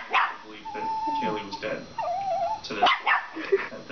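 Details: A male Shiba Inu gives drawn-out, wavering whines and yodel-like moans with a person talking nearby. A Chihuahua is bothering him over dog bones he won't share, and the owners see it as tough-guy posturing, not aggression.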